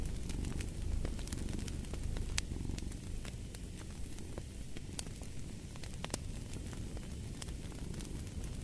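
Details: Continuous low, throbbing purr of a cat mixed with a crackling fireplace, the rumble pulsing gently in waves while fire snaps and pops scatter across the recording.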